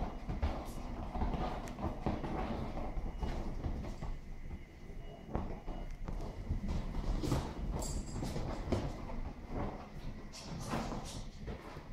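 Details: Clattering, knocking and low rumbling noise, like a vehicle or train, with faint voices and no clear animal sound.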